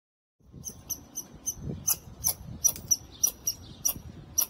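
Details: A squirrel on a wall, met by chance and with lots to say, gives a fast run of sharp, high, clicking chips, roughly three per second, with a faint low rumble underneath.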